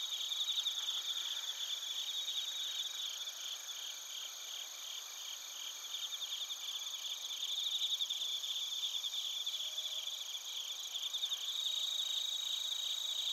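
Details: Bell crickets and other crickets calling in Narita, Chiba, Japan, recorded with a TASCAM Portacapture X8; steady high-pitched rhythmic chirping from multiple insects, pulses repeating about three times a second, rising slightly in volume after the midpoint.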